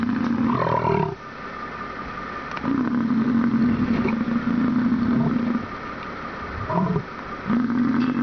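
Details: Bison giving deep, drawn-out roaring grunts, each a steady buzzy tone held for up to three seconds with a short rasping note before, separated by quieter rumbling pauses.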